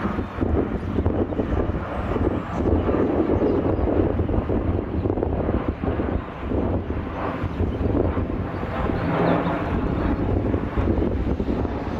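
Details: A steady low roar of wind and a passing aircraft fills the recording, with no animal calls audible.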